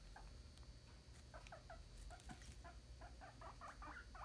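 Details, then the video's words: Pet guinea pig giving its 'alarm' sound, likened to the Molcar squeak '51515151': short, squeaky, tonal notes repeated in quick bursts, growing denser and louder toward the end, over a steady low indoor hum. "天竺鼠警報聲 這熟悉的聲音像極了天竺鼠車車51515151晚間播報員 Guinean pig’s sound 51515151"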